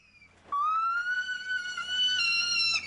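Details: On Phuket, Thailand, a female gibbon gives her great call, a long, pure, high whistled note that rises slowly and holds steady. The pair's alternating duet tells other gibbons they are a territory-holding couple.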